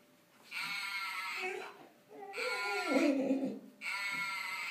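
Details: Golden retriever making its first singing vocalizations indoors: three breathy, harmonic whining bursts of about a second each. The middle one slides down into a lower, moaning tone.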